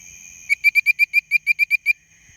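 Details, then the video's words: At night in Memphis, Tennessee, with bird-voiced treefrogs calling all around, one frog gives about eleven quick, clear, bird-like whistled notes in a steady series under one and a half seconds, over a faint high hum. "Frog Calls: Bird-Voiced Tree Frog!"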